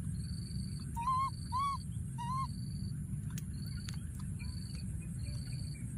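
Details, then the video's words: Three tonal, slightly arching coos from a wild baby monkey hiding in a thorny tree, still calling out for his friend, set against evenly repeating high insect buzzes and a low constant hum. "What a p.o.o.r baby monkey, hiding in a thorny tree and continuing to call for his friend"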